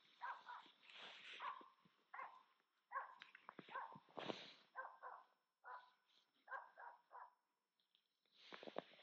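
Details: A female Finnish Spitz hunting in the Lapland taiga in autumn, pushing a capercaillie grouse, barks in quick, high, ringing bursts, a dozen or so over nine seconds with short pauses between runs, in a quiet outdoor setting.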